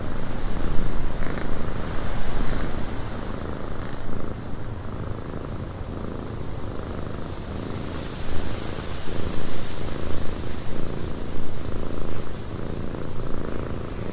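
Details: {'caption': "Cat's purr in a cabin buffeted by wind, a dense low rumble running throughout while broad wind noise swells and fades in the background."}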